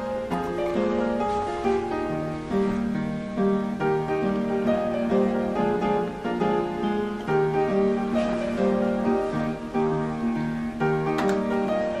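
Plucked string music plays throughout, with no animal voices heard.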